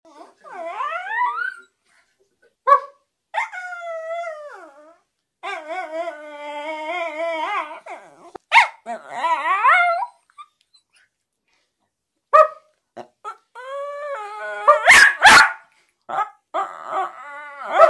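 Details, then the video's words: Westiepoo dog vocalizing as if trying to tell its owner something: a run of wavering, yodel-like howls and whines that rise and fall in pitch, broken by short gaps, with a few sharper bark-like bursts near the end. "Teddy the westiepoo is trying to tell me something"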